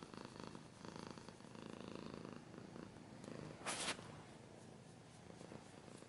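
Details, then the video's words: Cat purring in a steady low rumble of pulsed breaths for the first few seconds, softening later, with one short loud burst of scratching noise near the middle. "Cat's purring / scratching / kinda ASMR"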